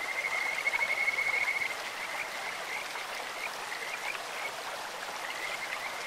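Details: Beside a clear stream, a Kajika frog opens with a bright, rapid, high-pitched trill that ends after under two seconds, followed by a few scattered faint notes over the constant rush of the water.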